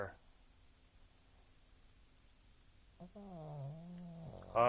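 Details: Oscar the pug asleep, snoring once with a drawn-out nasal, wavering drone of about one and a half seconds. A person's voice calling his name is heard briefly just before and after.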